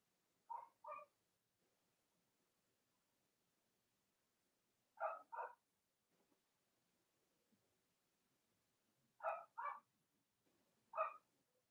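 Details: Cavalier King Charles Spaniel puppies of the dams Robin and Myra, kept indoors in the US on a chilly Monday morning before Halloween, give paired high yips spaced several seconds apart, seven yips in all, in an otherwise quiet room.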